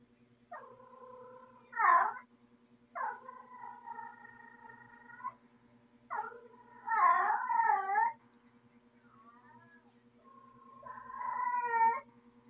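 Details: Calling female cat in heat: a run of long moaning yowls, some steady and some wavering, about five calls over twelve seconds, with a faint constant electrical hum behind.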